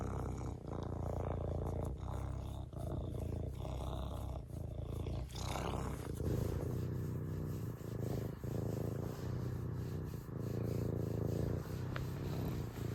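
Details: Long, unbroken serval purr, deep throbbing rumble with stacked low harmonics and faint handling noise in the background.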